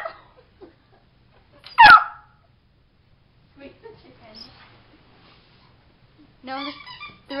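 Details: Puppy stuck under a bed at night, barking; one loud, sharp bark early on, followed by softer whining sounds and a person talking quietly.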